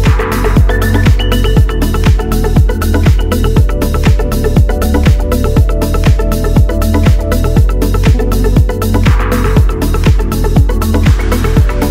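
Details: Upbeat electronic dance music with a steady four-on-the-floor kick drum and synth chords plays throughout, with no animal voices.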